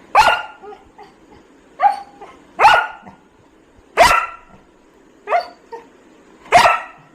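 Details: Labrador Retriever at home barking while searching for its missing leash. Six loud, sharp single barks come at uneven gaps over about seven seconds, some with a softer yip between them.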